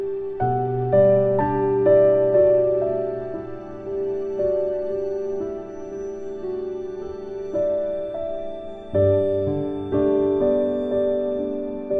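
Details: Gentle, slow piano-like music plays throughout, with sustained chords and no animal sounds.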